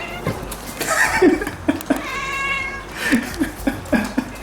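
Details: Neutered male Russian Blue cat, born October 2016, making strange sounds on seeing a fly for the first time indoors: rapid, evenly spaced short clicking chirps about every quarter second, plus two brief tonal meows; a person talks softly.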